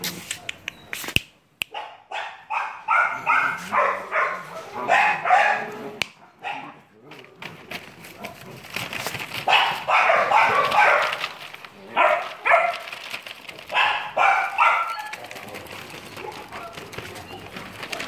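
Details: A three-month-old German Shepherd puppy barks and yelps in repeated bursts, sharp and uneven, with short pauses between volleys; a few clicks and knocks at the start.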